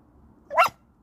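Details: A Beagle hunting squirrels gives a single short, sharp bark, rising then falling, while a person urges it to use its nose and go find them.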